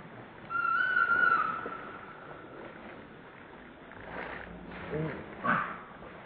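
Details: Baby monkey named Lucie, hungry and trying many times to get milk from its mother, gives one drawn-out whistled cry holding a steady pitch for about a second, followed by fainter broken squeaks amid rustling and handling noise.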